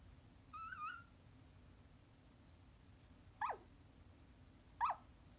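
A sleeping corgi puppy gives a wavering, high whine followed by two short, downward-sliding yelps.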